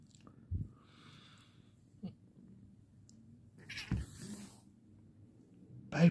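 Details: A pet cat that purrs while patted but hisses once tired of it; soft purring underlies several sharp bursts, including a breathy noisy hiss near the end, with a brief voice.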